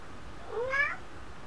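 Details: A pet cat recorded in December 2013 gives one short meow, a rising-then-falling whine lasting about half a second, in a quiet indoor room; a person's voice is heard just before and after.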